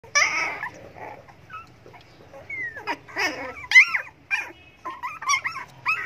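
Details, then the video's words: Hungry dogs begging for food give high, sliding whimpers and squeaky whines in short bursts, some rising then falling, with brief pauses between cries and a faint low rumble underneath. "hungry dogs begging for food"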